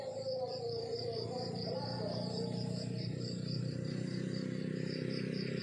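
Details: Crickets chirping in the countryside in the morning: a steady high pulsed trill repeating several times a second, over a constant low rumbling hum and faint mid-range murmur.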